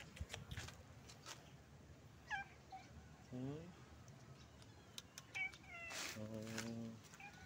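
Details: Stray cat living on the street, calling its friends for food: several drawn-out meows, one sliding downward and one held steady and nasal near the end, between a person's repeated greetings of hello and sharp handling clicks.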